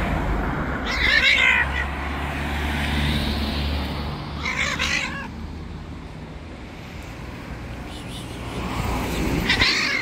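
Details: An angry white street cat, the bully of the local strays, gives three loud, wavering, harmonic meows spaced roughly four seconds apart, over a steady low rumble of traffic.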